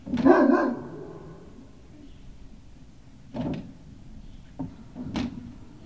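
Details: Great Dane puppies at Puppy Hill, 18 November 2018: one loud, rough bark opens, followed by a few short, sharp yips spaced over the next seconds in a quiet room.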